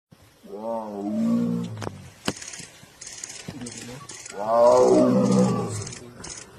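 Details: A tiger in Jim Corbett National Park gives two long, deep moaning calls that swell and then fade, with people murmuring nearby.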